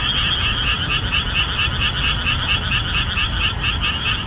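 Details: Boreal digging frogs calling loudly in marshland exposed after the rainy season ends in summer; a dense, rhythmic chorus of repeated nasal croaks, roughly two per second, overlapping continuously with no other sounds standing out.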